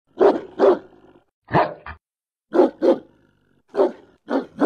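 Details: German Shepherd barking in quick pairs of deep, loud barks, each pair followed by a short pause, four bursts in all against a silent background.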